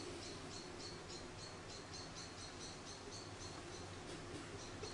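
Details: High, thin squeaks repeated steadily, about three per second, from Charlie, a hand-reared orphan baby grey squirrel roughly a week old that fell from its nest in the garden; a soft background hiss persists throughout.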